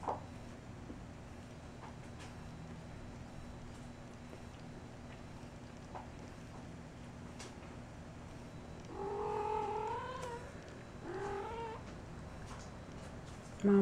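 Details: Persian kittens Kumquat and Kemo Sabe in a basket indoors, Kemo Sabe nibbling Kumquat's ears while she dozes; after a long quiet stretch, two drawn-out wavering meows rise and fall, then a short sharp sound ends the recording.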